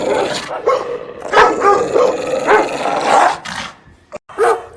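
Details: Loud, angry dog barks, some with a ringing, yelping tone, come in quick succession, then a brief silence and one last bark at the end.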